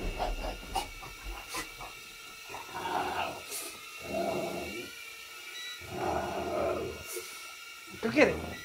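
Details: Bob, a pet dog, barks while leaping after an indoor drone in a living room; gruff bursts recur every second or two, with a person urging him on and the drone's constant buzzing whine underneath.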